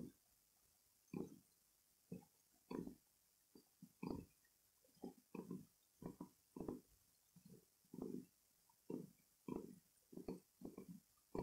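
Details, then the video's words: Loud purring from pet cats Bella and kitten Rossetta resting on a bed at home, not asleep; short coarse rumbling pulses recur almost every second in an uneven rhythm, close up against a quiet room. "Cat Purring Loudly"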